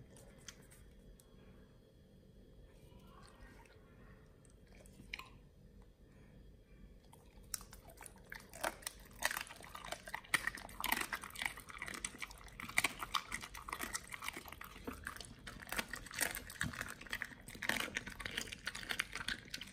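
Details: Nomyen the Pit Bull eating raw quails on a raw diet. About seven quiet seconds come first, then dense crunching and biting: sharp broadband cracks and wet chewing that keep coming steadily until the end.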